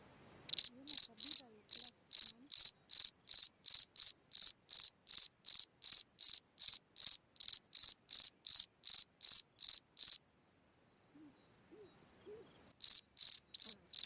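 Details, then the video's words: Cricket singing at night from a hole in the ground: a steady run of high, pulsed chirps at about two and a half per second for ten seconds, a short pause, then the chirping resumes. "Watch and Listen a singing Cricket (Chirping sounds, Hole in the ground, Night Ambient Sounds)"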